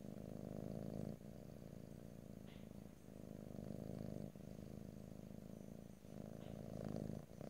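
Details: Close, stereo-recorded purr of a pet cat, no talking: continuous low buzzing rumble broken by short breath gaps roughly every one to two seconds, with faint small clicks and rustling.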